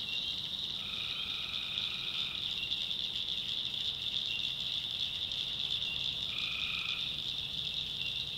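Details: North Carolina backwoods swamp at night, tree frogs calling: a steady piercing high chorus with a longer lower trill early on and a shorter one near the end.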